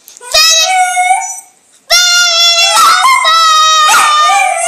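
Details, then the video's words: Indoor dog howling along to Selena's Bidi Bidi Bom Bom: two long, wavering, mournful howls separated by a short pause, the second quavering and rising slightly in pitch, with some whimpering texture. "Dog howling to bidi bidi bom bom"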